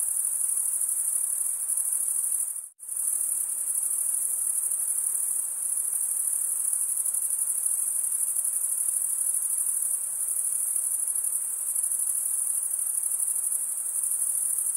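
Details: Many crickets chirping on a summer night in the forest: an even, piercing high trill that cuts out abruptly for a split second near the start, then resumes and carries on steadily.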